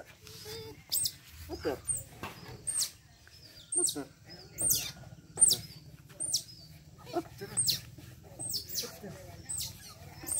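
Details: A young otter being bathed gives sharp, high chirps and squeaks, repeated roughly every second.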